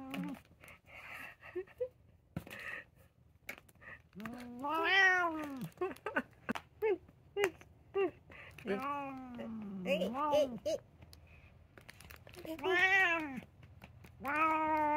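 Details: Indoor house cats: a black cat that wants to play keeps inviting a brown tabby that does not want to move. Several drawn-out, rising-then-falling meows, with a few shorter chirps between them, in a quiet small room.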